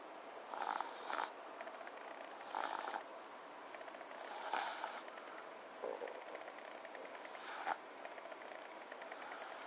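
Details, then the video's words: Sleeping French Bulldog called FICA snoring: repeated raspy, snorting snores roughly every one and a half to two seconds, some with a thin whistle, over a steady faint background hiss. "フレンチブルドックのＦＩＣＡ いびきをかいて寝る"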